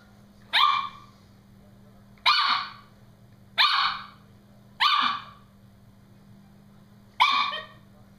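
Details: Brody the Norfolk Terrier shrieks at his balloon during play: five strident, harmonic yelps, each sharp at onset and fading, spaced roughly one to two seconds apart over a steady background hum.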